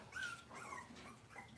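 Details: Cavalier King Charles Spaniel puppies on an indoor kitchen camera on a cloudy Monday morning: brief high, thin whimpering whines, one sliding gently downward, then softer whines that fade and rise again over quiet room noise.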